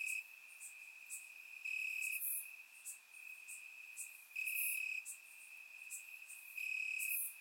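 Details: Grass crickets singing at night in Bulgaria during warm summer weather, captured by surround microphone: a high, even trill punctuated by longer loud bursts and brief piercing clicks.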